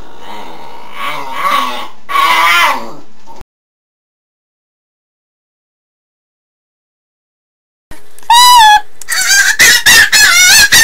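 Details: Pet dog making the funny non-barking sound he often produces out of the blue; wavering, warbling harmonic yowls for about three seconds, a long silence, then louder, shrill, quavering cries broken into short bursts.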